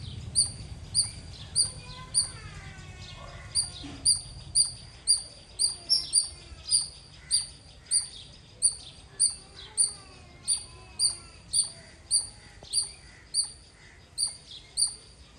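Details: Squirrel giving a long series of loud, shrill chirps at an even pace, nearly two per second, with brief faint sounds in the background early on.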